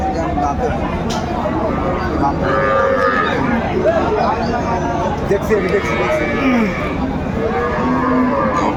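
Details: Cattle at the Aftabganj livestock market in Dinajpur, Bangladesh, where cows with calves are sold, 25 August 2024. Several overlapping moos of differing pitch rise out of dense, loud crowd noise.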